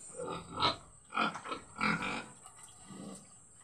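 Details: Pig being raised as a future breeding sow, kept on finisher feed. Several short, rough grunts come in quick bursts about half a second apart, then a softer grunt near the end, over a constant high-pitched electrical hiss.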